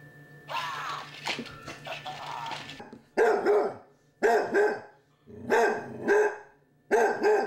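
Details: A Basset Hound puppy gives short, tonal barks, often in quick pairs, after a stretch of rustling, while battling a Halloween candy dish alongside a Chihuahua friend.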